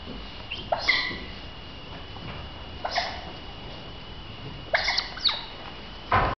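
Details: Juvenile smooth-coated otters playing near a pool give short, harsh squeaky chirps in scattered bursts; finding: Smooth-coated otter.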